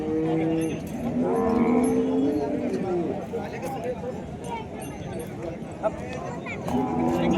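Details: Desi Gaolao cattle at a livestock show in Wardha, Vidarbha, mooing in long tonal calls during the first three seconds, then fading; a man speaks Marathi over a loudspeaker announcing arrangements, with crowd murmur throughout.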